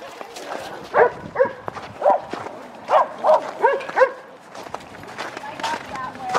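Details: Boxer on its first visit to a dog park, giving a run of short sharp barks roughly every half second, then quieter yips, with people talking and praising nearby.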